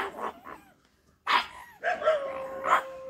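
A pug gives short, high, nasal barks that stretch into a drawn-out whining yelp.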